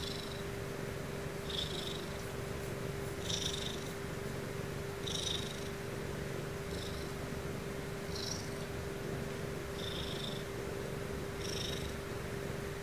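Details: Bedtime purring from a fluffy female Ragdoll cat, calming enough to bring on sleep; a steady low rumble pulses with her breathing, with light airy hisses recurring about every one and a half to two seconds.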